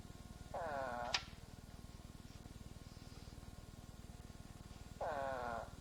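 Eastern spadefoot giving two short, nasal, groaning calls about four seconds apart over a steady low hum.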